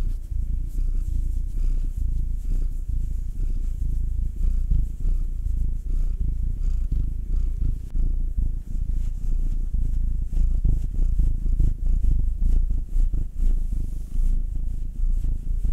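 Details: A house cat, Will (black male, nine years) or Anzu (tortoiseshell Munchkin female, two years), purrs as it is kneaded and massaged. A long, continuous low rumble, even and throbbing throughout, with a faint rhythmic flutter.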